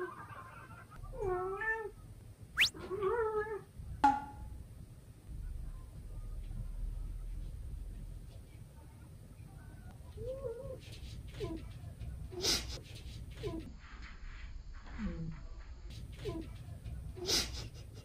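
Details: Sobbang, a young male British Shorthair cat born 18 June 2022, indoors, confronting his own reflection in a full-length mirror: several wavering, arched meows in quick succession early on, then fainter calls amid thumps, with background music.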